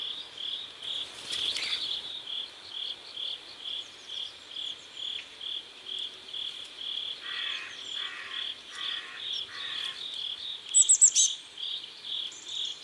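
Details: High repeated cricket chirps near a South Korean river at sunset, with a lower pulsed insect trill in four bursts, a rustle early on and a quick bird chatter near the end.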